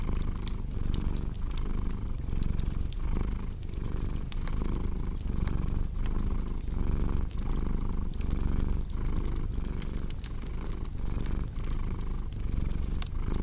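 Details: Rumbling cat purr repeating in steady inhale-exhale cycles under the constant crackle and sparks of a fireplace, the low drone dominating throughout.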